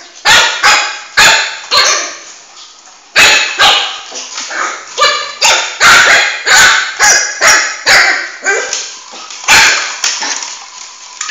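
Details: Excited yapping from Flame, a male Shih Tzu puppy of about four months, as he chases his ball through the house: rapid, bright barks, roughly two per second at times, with brief pauses.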